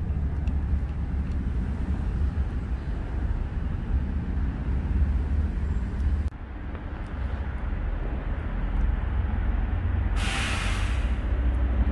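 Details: Steady low road and vehicle rumble outdoors in an urban setting, with a brief hiss of higher noise near the end and no animal voice.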